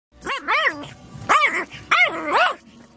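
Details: Dog giving five high, tonal yelping barks, each an arched rise and fall, grouped in pairs across three seconds, with quiet background noise between them.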